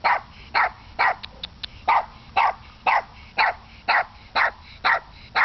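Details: A pet dog barking, wary of approaching a person who offers dog cookies: sharp, loud barks repeated steadily about twice a second, evenly spaced, with a few softer yips between, and little background noise.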